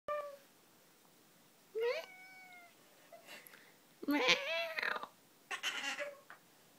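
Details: Indoor pet cat, a male, coaxed by its owners to give a funny signature meow; several tonal, drawn-out meows with clear harmonics, one short and one longer and wavering, separated by quiet gaps.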